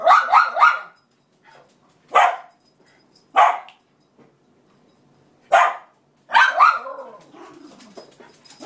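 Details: Cairn Terrier Roxy barking to reclaim her bed nearest the radiator, taken by the other of two cairns; a quick triple burst of sharp barks, then single barks spaced about a second apart, ending in a whiny yelp.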